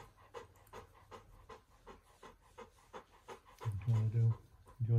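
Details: Bernese Mountain Dog indoors with its family, panting in quick breathy puffs, about four per second, for several seconds before a person starts talking over it.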